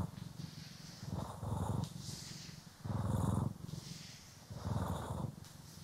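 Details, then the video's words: Purring house cat, Poki or Kiwi, during grooming and brushing, recorded in stereo; steady low rumble swelling into three louder bursts about every one and a half seconds, soft brushing sounds above. "CAT ASMR | Purring, Grooming & Brushing"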